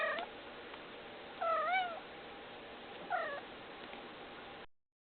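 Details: Pet cat meowing twice, each a wavering, slightly bending mew about 1.5 seconds apart, over steady low background hiss; a brief faint call opens the recording.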